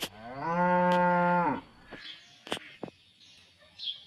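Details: Cows resting in a traditional village cattle pen; one steady, low, rich moo of about one and a half seconds, followed by several sharp clicks and knocks and faint high chirps.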